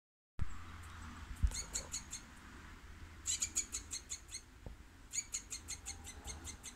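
A squirrel gives three bursts of quick, sharp chips, each run of five or six notes.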